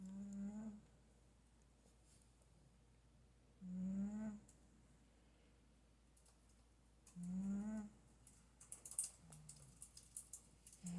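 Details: Sleeping house cat snores steadily: three low buzzy snore breaths spaced about three and a half seconds apart, each slightly rising at the end, with light clicking and rustling afterward.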